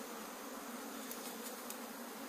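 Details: Honey bees in Puning, Guangdong, China, swarming loudly after a mishap in which the colony fell and its comb broke while being collected outdoors. A dense, steady buzzing hum fills the whole stretch without pause.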